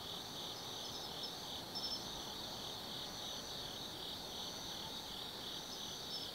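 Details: Night chorus of autumn insects at Tsukimi no Mori in Kaizu, Gifu Prefecture, Japan, overlooking the Nobi Plain: continuous shrill ringing trills with short pulsing chirps recurring every second or so over a soft background hiss.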